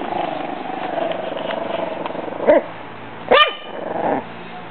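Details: Young Pug/Jack Russell mix puppy Bailey, six weeks old, guards her food and water from a bag: a steady low growl, then two high, sharp barks near the end.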